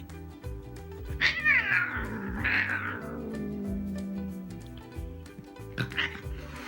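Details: Domestic cat being loud and dramatic toward a kitten indoors: a drawn-out, wavering wail that rises and falls, with a second shorter cry near the end, over steady background music.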